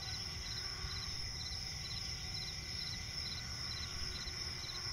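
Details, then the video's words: Nighttime swamp forest ambience, a cricket's quick high chirp pulses repeating steadily against a dense, unbroken shrill insect background and low rumbling noise. "cricket chirping relaxing sound in night forest"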